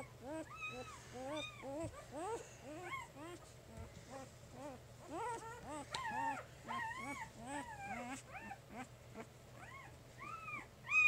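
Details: Three-day-old puppies of Jig's litter squeaking and whimpering: a steady stream of short, high, arched squeals that rise and fall, several each second, overlapping from more than one pup, over a faint low hum.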